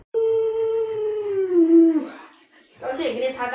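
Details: Pet Alaskan Malamute Luoluo, living with the family's young child, lets out a sustained falling howl for nearly two seconds, then a short rougher vocal burst, with a person talking nearby.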